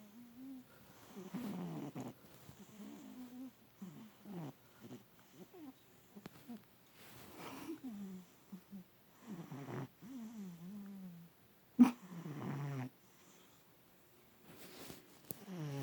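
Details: A domestic cat snoring while asleep in a person's lap, twitching as if dreaming; soft, low, throaty breaths with wavering tones repeat irregularly, with brief rustles and a sharp click near the end.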